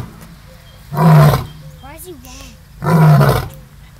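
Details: At Gulf Shores Zoo, a lion gives two deep, rumbling roars about two seconds apart, with people's voices between them. It started roaring when neighbouring animals began fighting.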